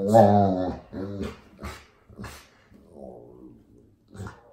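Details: Old English Sheepdog indoors telling its owners what is on its mind: a loud low rumbling growl-moan opening, then shorter huffs and a softer wavering whine, with a brief yelp near the end.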